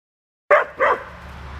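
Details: Two red standard poodles, Cayenne and Clifford, playing together with a ball; two quick barks close together, the second slightly longer, then quiet background hum.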